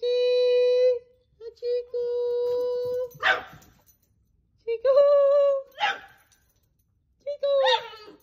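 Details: Dogs singing with long, even howls at one pitch, interrupted by noisy rasping bursts, followed by shorter rising howls that end in harsh, breathy tails.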